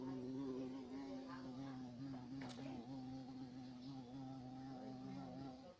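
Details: Large black European carpenter bee (Xylocopa violacea) buzzing continuously, a deep, even hum with several overtones and small pitch wobbles, briefly interrupted by a faint click midway.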